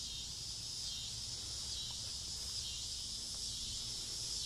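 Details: Cicadas in trees in a front yard on a summer evening near dusk, a constant high sizzling buzz over a soft low rumble.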